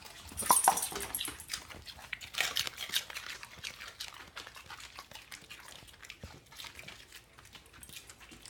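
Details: Rescue dogs chewing celery produce a steady series of dry, clicking crunches, loudest early on, then softer rapid munching that continues unevenly to the end, in a quiet indoor room.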